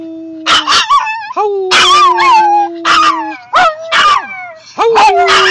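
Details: A Maltese puppy with separation anxiety, left in a car while her owner is away, howls with another dog in long, steady, mid-pitched notes broken by short yips and whines; Maltese dog.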